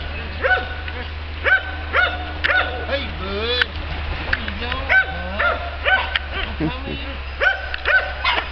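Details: Male Norwegian Elkhound puppy, playful and curious, giving high, tonal yipping barks with rich overtones, repeated irregularly about twice a second, some sliding up or down; people talking nearby over a steady low hum.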